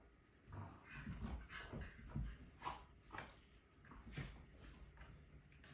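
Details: Malinois Sicario and his little Corgi brother Finn in rough indoor play on a rainy morning, chewing toys; low rumbling growls and huffs come in irregular bursts with panting between.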